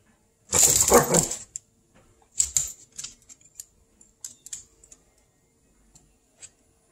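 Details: Small dog named Cocoa confronting a squirrel, opening with a loud, harsh burst of barking lasting about a second, then scattered shorter yaps and faint clicks fading out over the following seconds.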